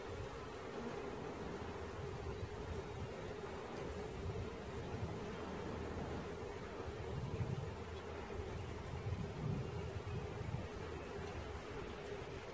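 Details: Honey bee swarm during its capture: a steady, dense, low hum holds one even pitch throughout, with a rumbling undertone and slight swells in loudness. No voices are present.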